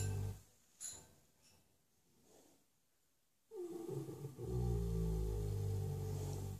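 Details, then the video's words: Shire horse Ben, six years old, sleeping flat out in his stable; after a quiet stretch one deep, drawn-out rumbling snore builds and holds low for the final seconds. "My big shire horse Ben snoring his head off ! Omg !!!"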